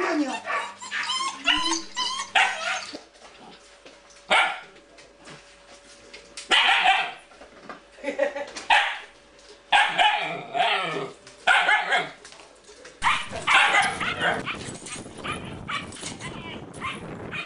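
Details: Siberian Husky brothers in a place new to them, meeting unfamiliar animals, spring 2006 in April or May; loud short barks and yips come in bursts every couple of seconds, with some human speech mixed in.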